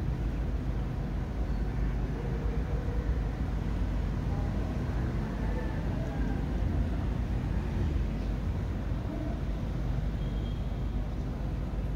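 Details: Steady low rumble of passing road traffic fills the recording, with no animal voice heard.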